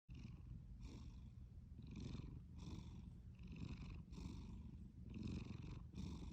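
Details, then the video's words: A sleeping cat snoring: a steady low rumble under soft breathy pulses, about eight breaths in quick succession, with no other sounds. "Snoring and sleeping cat"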